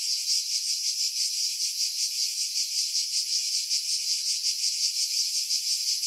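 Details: Cicada song from pine trees some 50 m above Pefkos Bay, Skiros Island, Greece, July 2018, Sony RX3 with external mic, wind buffeting edited out; continuous piercing high buzz, rhythmically pulsing close to three times each second, no other sounds.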